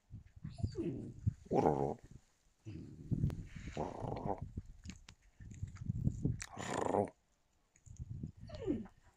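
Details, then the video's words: Yakutian Laika recorded in January 2022, giving about five drawn-out harmonic vocal bursts, some wavering and sliding in pitch, with short silent gaps between them and a final falling note. "Yakutian laika"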